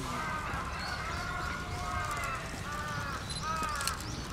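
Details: Tantan, a captive giant panda at Oji Zoo, excited by swirling snow on 19 January 2021, gives drawn-out, tonal, wavering harmonic calls in quick succession, with low background rumble throughout.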